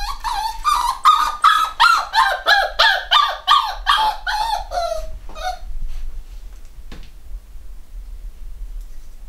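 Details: Black Cockapoo puppies from a home-bred UK litter, eight weeks old, give a rapid run of high, squeaky yelps about three times a second for five seconds, then fall quiet apart from faint room noise.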